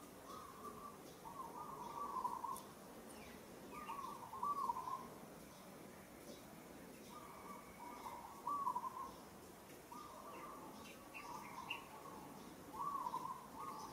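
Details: A monkey in Cambodia's Kampong Cham Province calls while struggling against rough handling by another monkey: repeated drawn-out, wavering whistled cries, each about a second long, in pairs separated by short pauses, over a steady background hiss.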